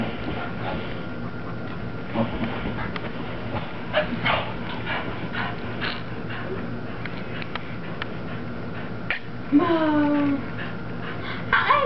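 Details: Cocker Spaniel dog indoors, racing around with zoomies after her bath, giving scattered high whines and yips that bend downward near the end, over a steady broadband background of movement and rustling.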